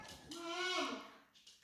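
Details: Pet dog howling indoors, as it does daily while its owner is away: a faint, drawn-out tonal wail rising slightly then falling, with a person's voice asking where mommy is.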